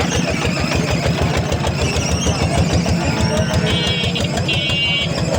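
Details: A motorcycle engine idles and throbs at a busy market, with a brief high beeping tone and faint voices in the background.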